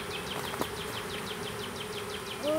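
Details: Honey bees of a small swarm hived in a privet hedge thicket, south Alabama, 12 April 2014: a continuous humming buzz under a bird's quick, repeated descending chirps, roughly five per second, plus a sharp click.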